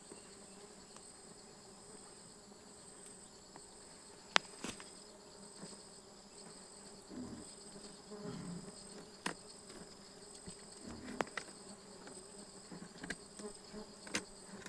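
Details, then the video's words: Continuous faint buzzing of stingless bees while honey is harvested, 24 June 2026: an even low drone layered with a high-pitched whine, with frequent clicks, knocks and brief rustling from the work. "Harvesting stingless bee honey"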